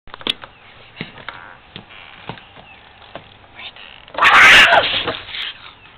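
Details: Two feral cats that have lived in the woods behind a house since they were kittens, heard talking to each other: faint scattered clicks and rustles, then a sudden loud, harsh, breathy burst about a second long near the end.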